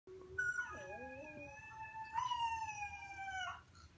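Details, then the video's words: A 3-week-old Boxer puppy howling for the first time gives a thin, high, wavering howl that swells and holds before fading. "Dog fascinated by howling puppy"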